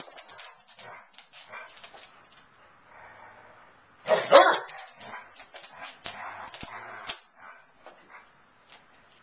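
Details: Two Basset Hounds, Darwin and Elvis, playing together; scattered short barks and yips with one loud burst of rough, vocal barking around the middle, then quieter grunts and play noises.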